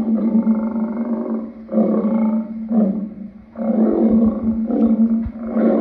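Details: A lion's throaty, sustained growling roar, strong and low, rising in loudness in several surges separated by short dips in a continuous rough rumble.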